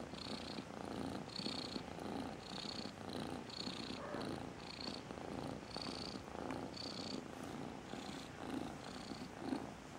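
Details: Loud cat purr, the so-called "tractor driver's song": rough motor-like rattling rumble, rising and falling in steady breath-length pulses about twice a second for the whole stretch.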